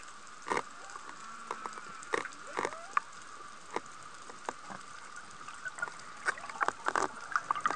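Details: Humpback whale (Megaptera novaeangliae) song recorded underwater at Sokodo coast, Hachijo Island, Japan, on 22 Feb 2020 between 11:30 and 16:00, sunny, with a strong southwest wind. A pod was nearby. Thin sustained high tones, a rising swoop, low thick sounds and crackling clicks.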